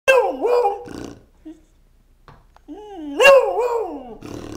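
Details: A pet Beagle barking and snorting at its owner: two long wavering, whining bark-howls with rising and falling pitch, separated by a quiet gap with faint snorts, then a short rough snort at the end.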